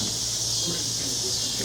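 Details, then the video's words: Periodical cicadas of Brood XXIII, the 13-year Mississippi Valley Brood, singing on a June 2015 summer evening: a steady, dense, high-pitched whirring drone with no breaks, and faint human voices low beneath it. "Cicadas Mississippi Brood XXIII Periodical Cicadas Making Sound / Singing / Noises"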